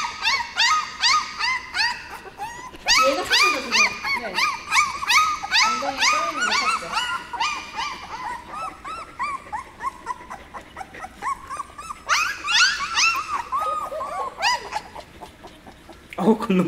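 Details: Several 17-day-old puppies on their first outing into a dog café in Korea, squealing almost nonstop in high, arched, harmonic whines that overlap rapidly, with brief pauses; a person talks softly nearby.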